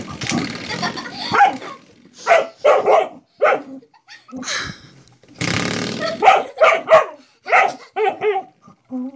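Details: Household dog playing with and barking at a door stop it treats as a threat; sharp barks in short clusters, interrupted by rattling, scraping noise, with a few whiny yips near the end.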